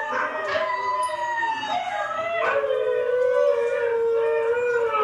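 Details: Pet dog Hailey howls with recorded huskies. Layered howling begins in short wavering bursts, then settles into one long, even tone that rises slightly before easing down.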